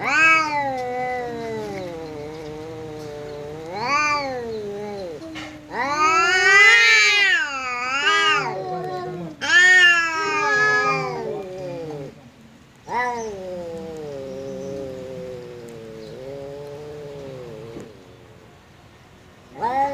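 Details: Two cats quarrelling as a visiting cat arrives; long undulating growling yowls alternate with loud harsh screeching wails, brief pauses between bouts, intensity rising and falling across twenty seconds.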